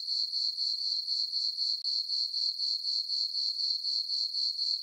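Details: Chirping crickets in a farm meadow at night in summer, full moon overhead: a bright, high trill beating about four times per second, briefly cut off once near the middle.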